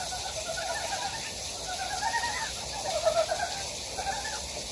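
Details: Several wild frogs in a valley on Gyejoksan, Daejeon, South Korea, giving quick buzzy pulsed croaks that overlap, a louder cluster around three seconds, with continuous water noise behind.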